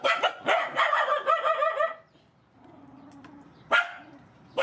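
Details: Feeding time for rescued mother dogs and their puppies; a fast burst of about eight harsh, ringing barks, then a quiet pause broken by one loud bark and the start of another.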